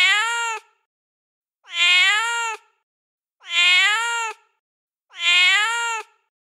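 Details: Mother cat, feral, calling her kittens: four even, bright meows, each under a second, swelling quickly then fading, evenly repeated about every one and a half seconds against complete quiet.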